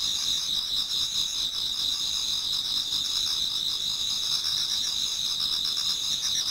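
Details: Towards dawn in autumn, many insects chorus in a Japanese garden; thin, piercing trills overlap into a constant shimmering wall of sound, pulsing rapidly at a few beats per second.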